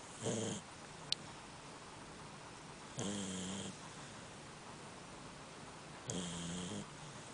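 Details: Sleeping female Labrador Retriever snoring indoors: three separate rasping, droning breaths about three seconds apart, each with a low buzzing tone and a hissy upper edge. A brief click sounds between the first two.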